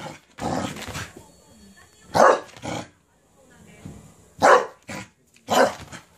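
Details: Cabbage-core excitement from a Cardigan Welsh Corgi running riot: a muffled opening, then harsh barks arriving singly and in close pairs, with low voice-like sounds in the gaps.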